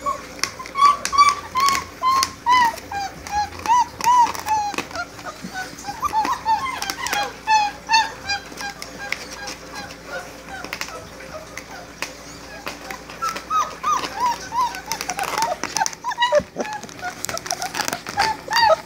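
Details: Great Dane puppies four weeks old cry in a litter, high-pitched whining squeals that bend downward, repeated rapidly and overlapping, with sporadic clicks and soft knocking sounds in the room.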